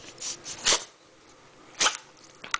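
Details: Joey, a female pet dog indoors, reacting to someone at the door: two short, breathy, huffing woofs about a second apart, then a faint click near the end, in a quiet room.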